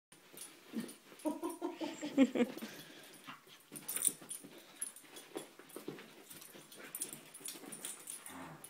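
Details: Two puppies, Milo and Harley, playing tug-of-war: rough, throaty growls with whiny tonal edges build up in the first seconds, then fade into scuffling, snuffly noises and soft rustling as the game goes on.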